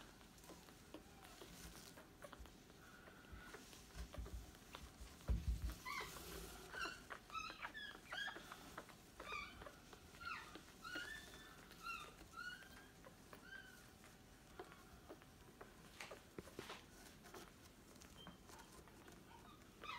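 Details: Newborn Staffordshire Bull Terrier puppies giving short, high squeaky calls in quick bursts, some rising and falling, with faint rustling and a brief thump early on.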